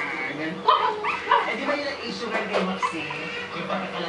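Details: Shih Tzu pups at four weeks old whimpering: two short, high, pinched cries near the start, then fainter whines under steady human conversation.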